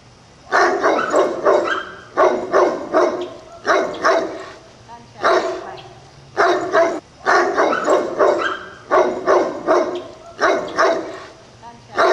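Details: Pure-bred Great Pyrenees (Pyrenees mountain dog) on a ridge top, barking loudly all day and calling to the town, audible a mile away. Bursts of three or four deep, rough barks repeat about every one and a half seconds.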